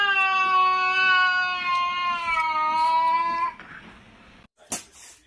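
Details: A single cat from a compilation giving one long, steady, slightly falling meow lasting over three seconds, followed by quiet and a brief knock.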